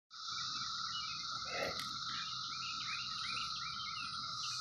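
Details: 17-year cicadas, present for a few weeks among fruit trees, in a dense, unbroken droning chorus: a steady mid-pitched whine under a higher hissing band, with faint chirping flickers throughout.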